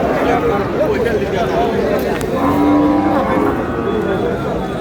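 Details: Cows at the Aftabganj cattle market (haat) in Bangladesh on 12 May: a drawn-out low moo rises above steady crowd chatter and bargaining voices, with market bustle throughout.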